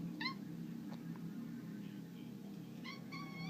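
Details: Bengal cat named Simba, a pet, playing indoors: two brief high meows, one near the start and a double call near the end, each a clear tonal chirp-like note over a steady low room hum.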